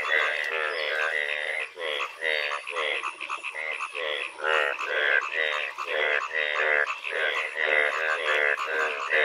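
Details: Rainy-season frog chorus from the Bangladeshi countryside, many croaking frogs giving rattling, pulsed calls about twice per second, overlapping into a continuous throbbing din with brief gaps between bursts.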